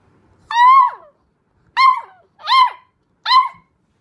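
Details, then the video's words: Puppies howling for the first time indoors: four short, rising-then-falling tonal howls with rich harmonics, each under a second, spaced by brief silences, no other sounds. "Cute Puppies Howl For The First Time"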